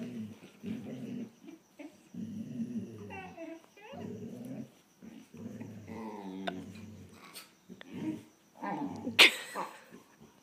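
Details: Two German Shorthaired Pointers, a younger dog pestering the older one: low, harmonic growling and grumbling in bursts of about a second, with a whining rise near three seconds and a sharp click-like noise near the end.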